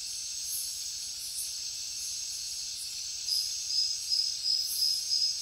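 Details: Cricket chirping: a steady high hiss of insects with a pulsed high chirp that starts partway through, repeating about every half second with even spacing.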